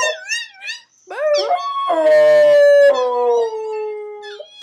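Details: An American Staffordshire Terrier howls for the first time while a recording of another dog howling plays. One long, loud, level howl slowly slides downward, with shorter wavering howls from the recorded dogs at the start and end.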